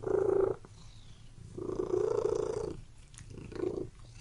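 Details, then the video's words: Domestic cat purring indoors in a room, a low rumbling purr in broad bursts with short quiet gaps between breaths, three bouts in about four seconds. "Purring Cat in Room"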